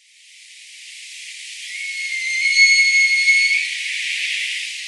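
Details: A Roosevelt elk herd-master bull bugles in Elk Meadow near Orick, California, a high, steady, whistle-like note over a breathy hiss.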